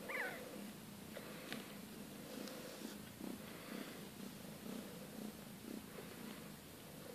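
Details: Siberian kittens from the litter of Kate and Bessie, growing fast and round-bellied, purr in a steady low rhythmic throb of repeated pulses, opened by one short high mew.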